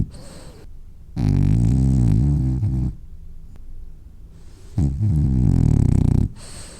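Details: A French Bulldog snores while sleeping and dreaming, in deep, rumbling, low-pitched bursts, each drawn breath rattling for over a second.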